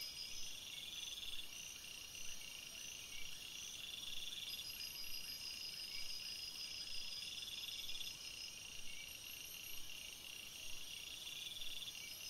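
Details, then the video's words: Forest crickets at night give short high trills repeated about every three seconds, set against an unbroken shimmering background chorus of other insects. "Crickets Sounds, Night Sounds"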